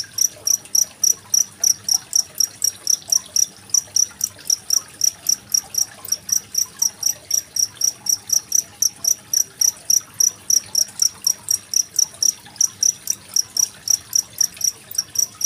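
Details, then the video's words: Cricket chirping, recorded 25 February 2023 and used as a master track for tutoring contest songbirds like magpie-robins; shrill, high pulses come roughly four per second without pause, with soft running water beneath. "Suara masteran jangkrik dan gemericik air"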